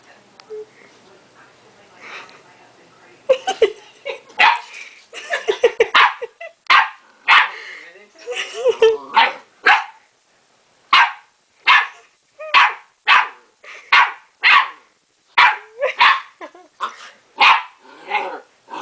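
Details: Pet dog barking at its reflection in a mirror as if facing another dog; a rapid run of short barks, irregular at first then steadier, roughly one every half second, with a person's voice early on.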